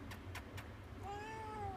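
A Siamese cat gives a single drawn-out, tonal meow that rises slightly and then eases down.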